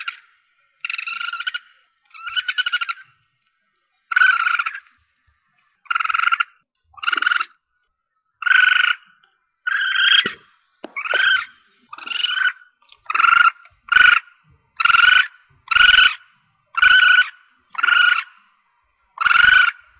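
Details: Calls of a young Asian palm civet, played to draw in quarry when hunting: a long series of short, rasping, harmonic squalls, starting spaced and quickening to about one every half second, with faint clicks between.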